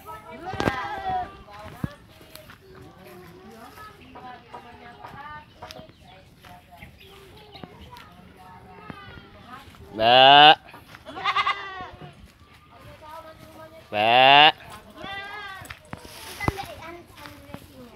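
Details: Goats in a free-range pen foraging for their own food; two loud, wavering, nasal bleats about four seconds apart stand out over clucking chickens, scattered chirps and nearby human voices.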